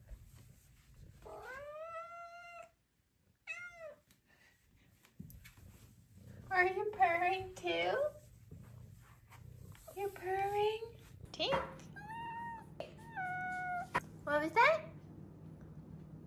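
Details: Five-month-old female Maine Coon kitten vocalizing indoors around feeding time, many short meows and rolling chirps in quick clusters, some level and some bending upward, with a woman's voice and a low household hum.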